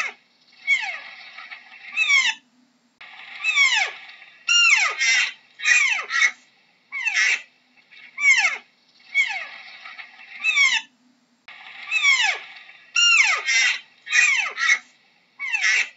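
Deer giving high, whining calls that slide steeply downward, repeated in quick, overlapping bursts.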